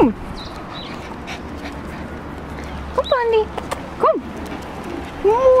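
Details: Short, clear, tonal whines from Pandi, a male Japanese Chin being given a bath, each a quick rising-then-falling cry, three bursts spaced about a second apart over quiet background hum with faint speech.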